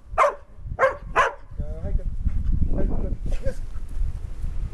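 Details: Field-line Labrador Retriever Fuku, a lively disc-loving dog, barks three times in quick succession, short and punchy, then people's voices take over.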